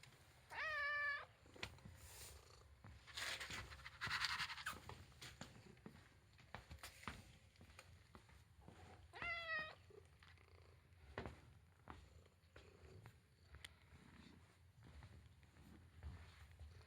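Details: Male house cat meowing indoors: two clear, rising-then-falling meows, one near the start and one about nine seconds in, with quiet rustling and handling noises between them.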